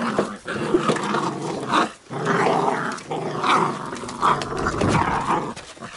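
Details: Young Labrador Retriever puppies, wild and cheeky at play indoors, give repeated low growls and short yips in uneven bursts, with rustling and bumping between the calls.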